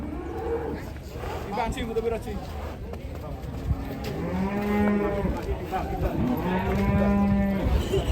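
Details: Cattle in Indonesia, described as angry and rampaging when about to be sold; low, drawn-out moos, two long calls about a second each with a steady tone in the second half, over crowd chatter and background noise.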